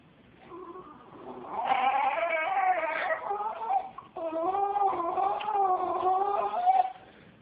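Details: Female Jack Russell Terrier reacting to a cat with unusual strained sounds, as if about to vomit; two long, wavering, tonal moaning whines with shifting pitch, the second steadier and drawn out, in a quiet indoor setting.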